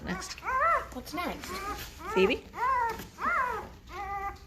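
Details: Great Bernese puppies at five days old, from a Great Pyrenees dam and Bernese Mountain Dog sire, cry in a series of arched, rising-then-falling squeals, roughly one every half second to second.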